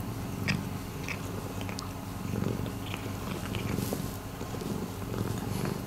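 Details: Rescued domestic cat purring indoors: a continuous low rumble under scattered soft clicks and small rustling noises, with one brief brighter hiss near the middle.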